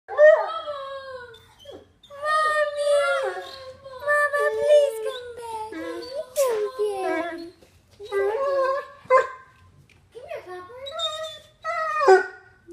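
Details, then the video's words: Copper, a pet puppy who misses his owner's mom after she left, gives long, wavering, harmonic whines and howls that slide up and down, broken by short pauses, indoors in a small room with some human talk mixed in. "MY DOG HAS A DEEP BARK!!"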